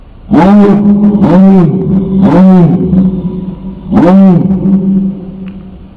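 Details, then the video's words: Dog tied to a fence on a street while its owner goes into a shop, barking as it waits. Four deep, harmonic barks with a steady low hum underneath, like a running engine. "Собака лает на улице Dog barks"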